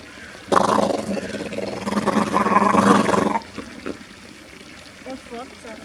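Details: A harbor seal at Zurich Zoo, Switzerland, recorded 5 February 2020, makes a funny sound it often produces, a loud, rough, drawn-out growling moan of about three seconds. It is perhaps playing.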